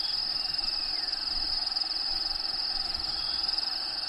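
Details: Inside the vivarium of Diego the bearded dragon, crickets give a continuous shrill, finely pulsing trill, with habitat background sounds playing underneath.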